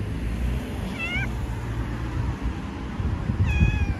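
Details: Stray cat on the streets of Istanbul, Turkey, giving two short, clear meows that rise then fall, about two and a half seconds apart, over a steady low rumble of city traffic.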